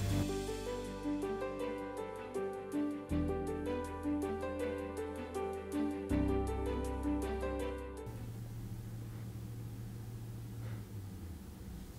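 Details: Gentle piano music plays for eight seconds, then gives way to a soft hiss with no animal sound.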